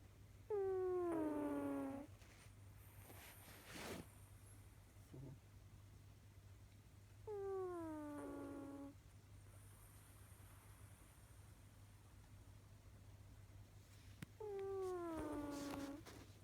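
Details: Snoring pet cat gives three drawn-out, whistling tones that slide downward and then level off, roughly seven seconds apart, with a constant low hum and faint rustles between them.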